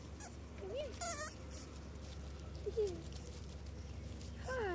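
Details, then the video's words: Two seven-week-old male English Bulldog puppies, Waylon and Wyatt, playing outdoors at the Siess Ranch; short high whines, rising then falling, come in scattered bursts of one or two, with a woman's voice talking softly to them. "English Bulldog puppies playing"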